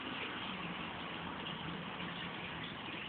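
A steady broadband rush like running water or a pump fills the whole clip, with no animal calls.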